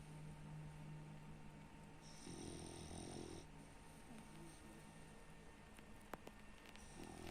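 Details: Baks, a French Bulldog, snoring: a long, low rumbling snore swells around the middle of the recording with hissy breath noise above, while a faint steady hum runs underneath.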